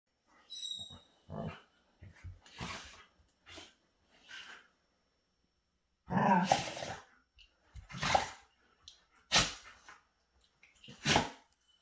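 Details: Alaskan Malamutes play fighting face to face give short, gruff, broadband growling bursts in irregular clusters, quieter early on, then louder and harsher bursts roughly every second or so in the second half.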